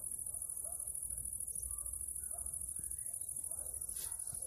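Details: A cricket sings a steady, very high-pitched trill without a break among wildflowers in Transylvania in the late afternoon, with other insects singing too.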